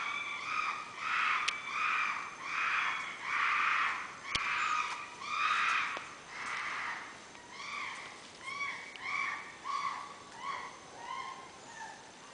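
Chimpanzees give a run of loud, harsh hooting calls that swell and then gradually fade.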